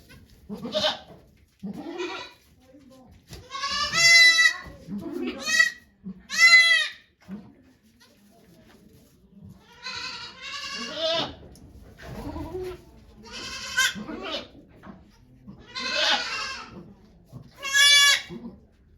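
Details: Goat named Okayu at Yoshigake Farm in Japan, giving birth to two kids on 3 May 2023 while volunteers watch. A run of loud, wavering, nasal bleats comes in bursts about every one to two seconds, with quiet human voices between them.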